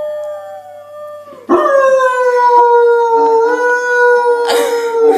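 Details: Dog howling: a faint tone for the first second and a half, then a loud sustained howl that starts near its peak and slowly slides lower in pitch, with rich harmonics and a brief noisy burst near the end.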